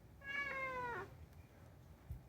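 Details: Unagi, a talkative rescued pet cat indoors, gives one clear meow, steady then dipping and sliding down at the end, with rich harmonics; faint room noise and a soft knock afterwards.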